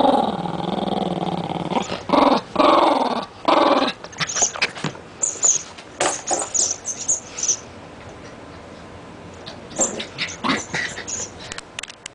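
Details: A Rat Terrier growls as it plays with a new toy: three throaty growl bursts in the first four seconds, then clicking and squeaking toy and handling noises with brief growls.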